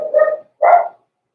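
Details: Blenheim Cavalier King Charles Spaniel puppy at the Red Barn Cavaliers puppy pen, from Pom-Pom's small litter born November 14, 2022, filmed at Christmas: two short, high yipping barks half a second apart, then silence.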